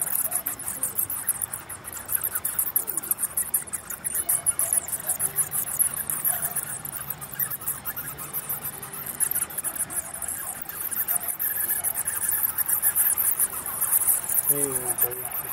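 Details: Bats squeak in rapid, shrill, unbroken chatter, with several callers overlapping; a few short lower squeals stand out near the end over a faint low hum.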